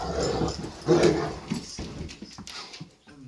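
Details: Great Danes in wild play give deep, throaty barks and rumbling, growl-like bursts in uneven clusters, which trail off into quieter scuffling sounds.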